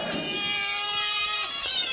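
A cat gives one long, steady, nasal meow held for about a second and a half, then starts another.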